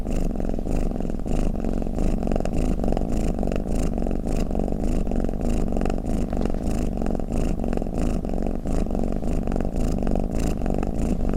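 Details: Snoring cat heard close up, a steady low rumbling purr-like drone with soft breathy pulses rising and falling about every half second, continuous throughout and free of other sounds.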